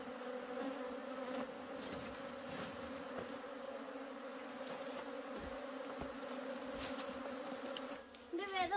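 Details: A dense, continuous buzz of wild honey bees at a honey harvest, a steady low hum with scattered ticks, and a sudden shift with a wavering higher sound in the final second.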